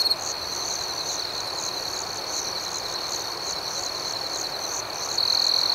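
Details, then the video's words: Crickets chirp through the night in a constant high, thin trill with quick regular pulses, swelling to a stronger chirp in the final second. "Soothing Cricket Sounds"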